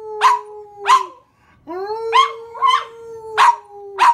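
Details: Pet dog singing along with its owner: a long steady mid-pitched howl-like tone held under sharp barks or yelps, about six bursts in four seconds, with a short silent gap near the middle.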